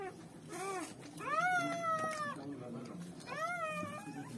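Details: German Shepherd puppies being born, crying in thin arched squeals; a short cry, then a long sliding whine that rises and falls, a pause, and another curved squeal near the end, over soft background music.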